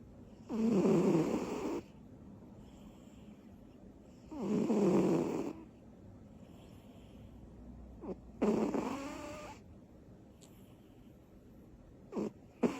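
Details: Butters, a little cat worn out from her energy bursts, snores loudly while asleep: two long, rumbling breaths, then a shorter, rattling snore, with brief soft snorts in between.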